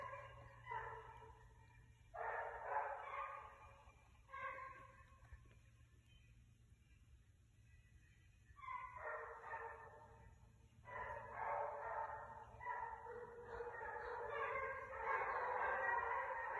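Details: Six basset hounds hunting a rabbit on 12/21/22 give bursts of loud, ringing bays in short clusters, then a quiet gap of several seconds before the pack's voices return, building into a dense, continuous chorus toward the end.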